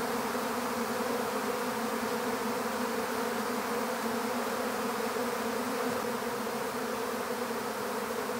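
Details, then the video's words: Steady drone of many honeybees in a swarm as it is taken into an empty bee hive; the low, rich hum stays constant without pauses for over eight seconds. "How to Capture a Honeybee Swarm"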